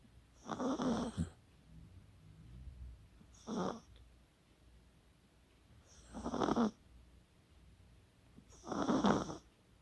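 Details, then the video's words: Chihuahua named Kaka snoring while asleep, dated 24 October 2020: four breathy, broadband snores spaced roughly two to three seconds apart, each a short rasping burst with quiet pauses between. "코골이의 주인공은 치와와 카카"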